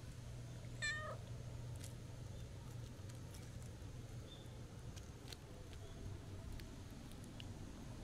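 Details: A single short, rising-then-dropping meow from a stray cat at a shrine, where a black cat walks and a sociable tuxedo cat appears; afterward only low rumble and faint ticks.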